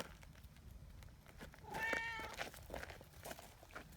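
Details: Community cat giving a single moderately loud, wavering meow of about half a second, part of the meowing signal that draws a cuddly trio together on a bench, amid rustling and faint outdoor noise.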